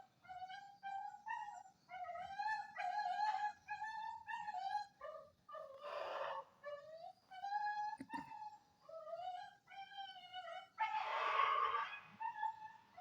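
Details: Indonesian village dog (anjing kampung), recorded on Friday 18 November 2022, giving a run of high, tonal whines and whimpers. The cries are repeated in short bursts, some rising and falling, with a few breathy, noisy yelps between them.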